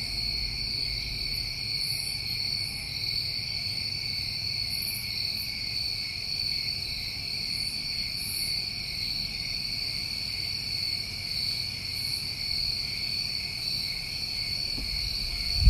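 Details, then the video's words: New England summertime crickets at night, a dense steady high trilling chorus with bands around two and four to five thousand cycles, continuous throughout, with faint higher chirps scattered above and low rumble beneath. "Over 1 Hour Of Tinnitus Masking With Crickets"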